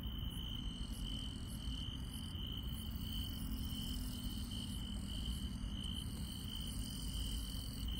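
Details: Night in the countryside with grass insects: a level, ringing trill sustained from start to end, sparse higher pulsed chirps, and a soft low hum mixed with steady rumbling noise underneath.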